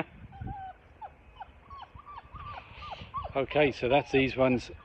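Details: Labrador Retriever puppies aged five weeks, first time splashing in a shallow baby pool; a run of short, high, bent whimpers, one after another, then a human voice talks over them.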